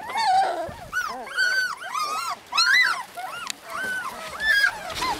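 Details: Husky puppies in Lapland: high arched whines and yelps overlapping, several pups calling at once in short bursts, with a faint click.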